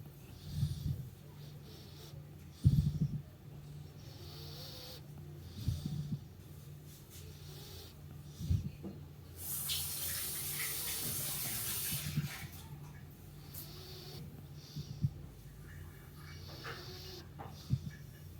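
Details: Meatloaf, a dog, snoring through a morning sleep indoors: low rumbling snores recurring every few seconds, some snorting peaks, with a steady low hum and a burst of hiss in the middle.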